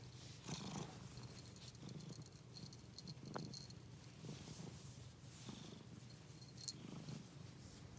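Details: Pet cat purring, a low pulsing rumble with swells at about half a second, three and a half, and seven seconds as it breathes; faint high-pitched rustles overhead.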